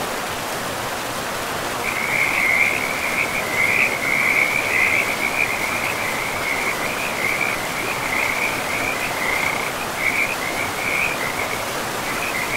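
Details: After two seconds of river noise alone, frogs by a pristine forest river start a dense run of high, trilling chirps that continues to the end, layered over rushing water.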